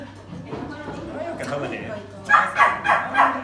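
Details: A biting poodle with a domineering streak barks during a training session. Quiet talking comes first, then a run of four quick, harsh barks about a third of a second apart near the end.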